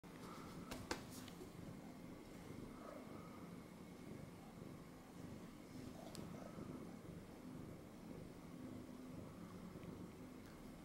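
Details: Domestic cat that has jumped onto a person's lap and sits there, giving a low, steady, continuous purring rumble throughout, with a couple of sharp clicks near the start and a faint steady hum in a small room.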